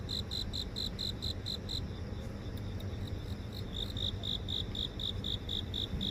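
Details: Insects chirping in a residential garden in central Seoul, phone recording: clear evenly spaced pulses around four per second, a brief gap mid-clip, then resuming, with a faint high buzz and low urban hum beneath.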